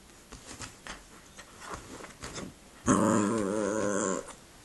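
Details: Pet dog indoors in a small room, growling because it wants to play after a meal rather than rest: soft scattered rustles and taps, then one loud, wavering, tonal growl-moan lasting just over a second.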